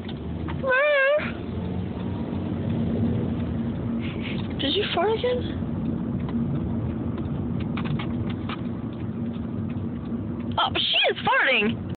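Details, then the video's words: Sophie, a pet beagle, cries out for attention: wavering, high whines come near the start, again around the middle and once more at the end, over a steady low background rumble. "Sophie the beagle crys out for attention!!!"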